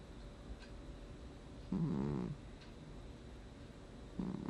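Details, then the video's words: Gnusmas, a pet cat, snoring in its sleep, August 2020: one drawn-out raspy, vibrating breath lasting about half a second, then the start of another, with faint room hiss between. "Кот храпит во сне"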